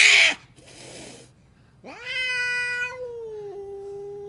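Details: Angry house cat letting out a loud hiss followed by softer breathy hissing, then a long rising yowl that levels into a drawn-out, steady moaning howl.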